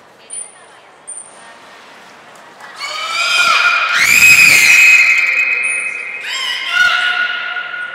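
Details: Belugas Hodoi, Taanya and Mirai during a pool move and training session at Nagoya Port Aquarium, 14 March 2021: loud, squawky harmonic calls that slide upward and then hold steady in a reverberant hall, with short, high whistle blasts before and after.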